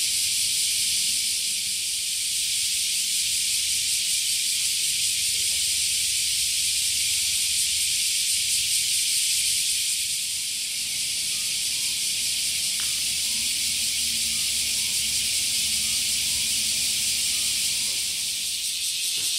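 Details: Japanese summer cicadas, a wake-up chorus: a constant high, sizzling whine that fills the whole recording without pause, over a quiet low background hum and a brief faint voice.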